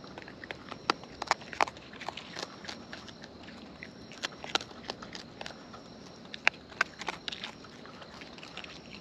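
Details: Wild raccoons chewing food close by: bursts of crisp, snappy crunches in quick clusters, separated by quieter smacking, with a steady faint high hum underneath.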